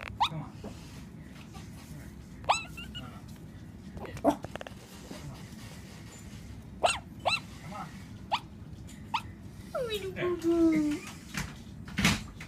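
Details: A dreaming Shih-poo puppy lets out scattered soft yips and small barking noises, then a drawn-out descending whine near the end, amid light rustling clicks indoors.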